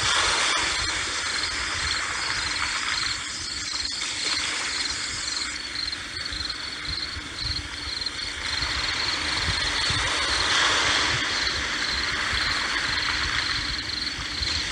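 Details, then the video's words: Cricket chirps over sea waves. Rapid high pulses are clearest in the first half, then fade into the wash as surging waves rise and fall. "Sea Waves+Cricket Sound"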